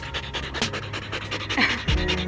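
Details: Belgian Malinois panting during playtime in an open field: rapid, rhythmic, breathy puffs about four or five per second, with soft background music and a low steady hum underneath.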